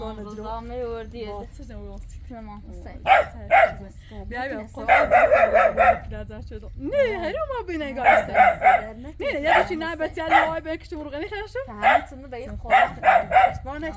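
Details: A puppy recently brought to a nomadic family to watch their goats barks repeatedly in quick clusters of short, harsh yaps, with several people chatting in the background throughout.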